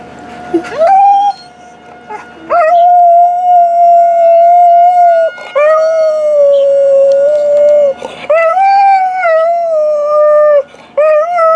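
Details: A purebred Alaskan Malamute called Tarzan, recorded around 2013, howls in a sequence of sustained, clear tones, several lasting two to three seconds, each gently wavering and dipping in pitch.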